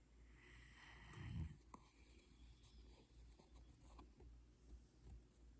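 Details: A sleeping Rottweiler in the mountains snores with low, rumbling breaths and a soft rasp.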